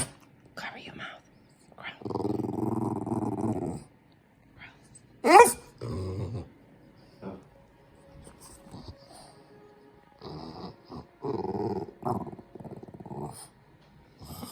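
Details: Male French Bulldog indoors after sneezing: two low rumbling growls of about two seconds, separated by snuffles, a sharp sneeze-like burst and quiet pauses.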